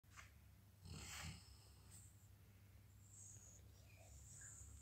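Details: A sleeping Weimaraner dog snores at home, low and rumbling with a soft rasp on each breath; one breath near the start swells into a louder, breathy snort before fading back to quiet breathing.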